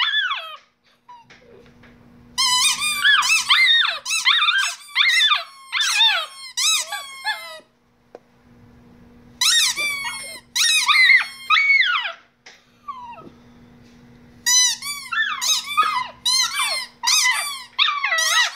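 A Shiba Inu sings in bursts of high, wavering, squeaky howls broken by short pauses.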